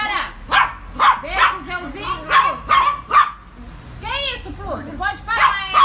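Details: A tiny micro Yorkshire Terrier, described as frightened, gives rapid, high-pitched yelps and arching whines, several each second; Yorkshire Terrier.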